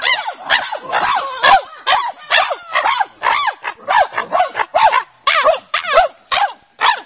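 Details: At Afi Mountain Drill Ranch's Nigerian Chimpanzee Centre, Nigeria, chimpanzees in a large fenced natural enclosure give loud, bark-like arched hoots, roughly two a second, each rising then dropping in pitch, in an irregular excited series.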